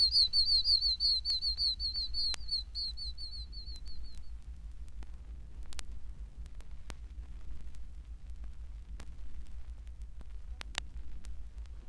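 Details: In Florida, an Oak Toad (Anaxyrus quercicus), a tiny toad of pine and oak woods, gives its breeding call: a fast run of high, whistled chirps, like a peeping chick.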